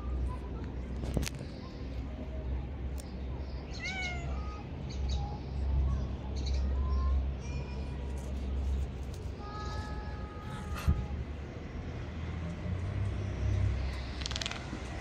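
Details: Affectionate male street cat giving several soft, short rising meows, some faint and drawn out, over steady low rumbling background noise with scattered outdoor sounds.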